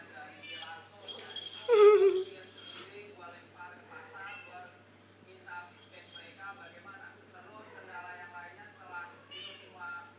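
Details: Kitten, one of several young cats just learning to walk, giving a single loud meow near the two-second mark that slides downward in pitch, with soft murmuring voices in the background before and after.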